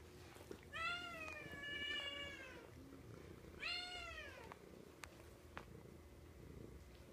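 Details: Domestic cat up for adoption at an animal shelter in Meadow Lake, Saskatchewan, Canada, giving two drawn-out, harmonic-rich meows. The first is long and level, the second shorter and falling. Quiet room background with a few faint clicks.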